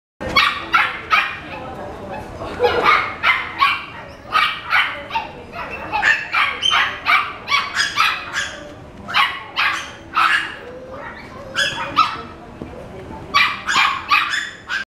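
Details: Cavalier King Charles Spaniel yapping: a long run of rapid, high, sharp barks, several every second for fifteen seconds, irregularly spaced, over a steady background murmur.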